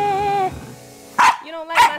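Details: Rat Terrier puppy barking at his owner's singing, which he usually likes but not this time: steady sung tones fade, then two sharp, loud barks about half a second apart.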